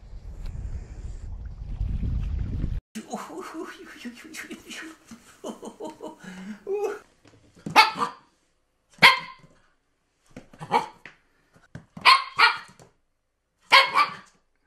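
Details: Siberian Husky giving short, sharp barks spaced about a second apart, after a person talking over low rumbling noise.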